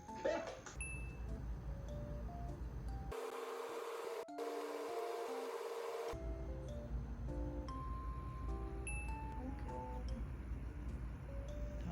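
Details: Soft indoor background music with chime-like notes and a low steady hum, briefly broken by a burst of hiss in the middle; no animal sound is heard.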